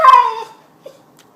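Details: Pet dog 'talking back' while arguing with its owner indoors: one loud, tonal whine that starts high and slides downward over half a second, then fades, followed by a soft short squeak.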